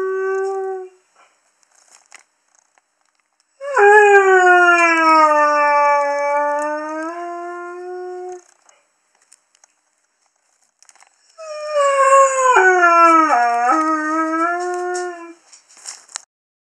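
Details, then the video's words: Haru, a young male Curly-coated Retriever, howls when female dogs are in season: a brief tail of a howl, then two long harmonic howls of about four to five seconds each, the first falling then steady, the second wavering and dipping. "Curly Coated Retriever Haru howling"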